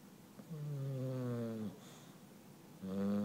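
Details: An English Bulldog happily snores with a deep, droning, tonal rasp on each breath.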